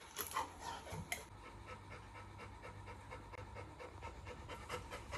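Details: Little John, a Labrador retriever puppy, waking up alert as the camera turns on, pants in quick rhythmic breathy puffs that repeat steadily through the stretch, over a constant low electrical hum.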